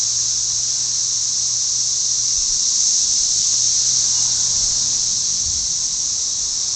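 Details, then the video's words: Unbroken, shrill buzzing from a vast mass of cicadas singing to attract mates, loud enough to be called deafening, with a faint low hum underneath. "Cicadas singing?"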